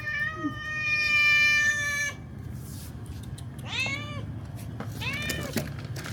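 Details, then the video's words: Pregnant cats come begging for food: a long, steady, drawn-out cry opens, followed after a pause by two short arched meows that rise and fall, over a low rumbling background. "Pregnant cats come to ask for food"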